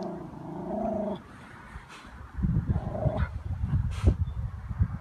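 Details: Miniature Schnauzer puppy that cannot swim yet, jumping into water after ducks and struggling to reach them; a wavering, harmonic whine lasts about one second, followed by splashing and thrashing in the water.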